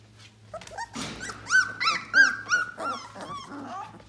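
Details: Yellow Lab puppies at 18 days old cry in a run of arched, nasal whines. One rustling burst comes first, then about six evenly spaced squeals that fade into softer whimpers over a low background hum.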